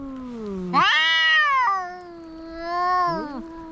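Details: Fighting cats trade drawn-out yowls, one voice jumping abruptly upward into a loud wavering howl while a second lower voice slides and crosses beneath it.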